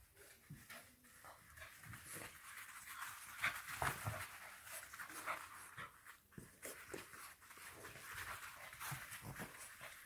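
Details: Indoors in a busy Nairobi, Kenya household, an FCI English Bulldog puppy, Churchill or Mable, pants in quick breathy huffs, roughly two or three a second, with scuffling and a woman's voice in the background.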